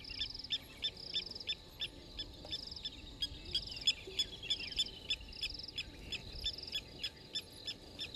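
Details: Banded rubber frog calling at Djuma Private Game Reserve on 30 November 2021: a steady series of short, bright trilled pulses repeated about three times a second, with a hum underneath.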